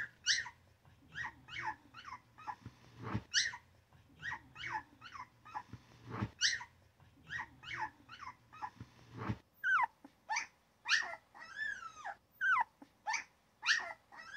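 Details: Newborn puppy yipping and crying: short high squeals repeated about every half second, some sliding down in pitch, with a few loud thumps and a low steady hum in the first part.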